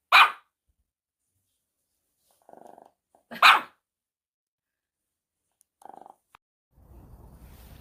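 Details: A pet dog reacts after its owner pretends to head out for a walk and doesn't go. Two abrupt, loud barks come about three seconds apart, with faint soft sounds between them and a low rumbling noise at the end.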